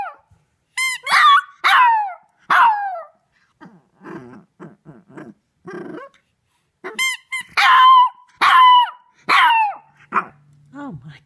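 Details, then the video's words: A three-month-old Shih Tzu puppy named Maddie gives loud, high, wolf-like howls at her squeaky toy, with rising and falling yelps repeated about once a second. Lower grumbling sounds fill a gap midway, with squeaks throughout. "Shih Tzu Puppy Howls Like a Wolf"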